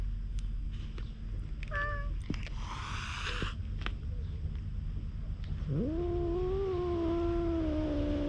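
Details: Wary stray cat met on a road leading to the sea in Japan, recorded on a GoPro: after scattered rustling and a brief noisy burst, one long drawn-out meow rises then slowly falls, over steady low background rumble.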